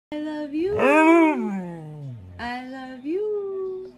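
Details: Siberian Husky "talking" in a small indoor room: a drawn-out harmonic whine swells upward, then slides steadily down into a low groan, followed by two shorter moaning yowls with rising and levelling pitch.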